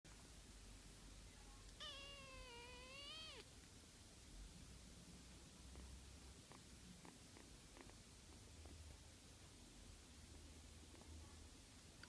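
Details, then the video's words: Sleepy orange tabby kitten yawning at nap time after playing all morning; one drawn-out, voiced, harmonic moan of about a second and a half, arching slightly then falling, followed by faint soft clicks in a quiet indoor setting. "Cute Cat Hiroshi Yawning : So Sleepy"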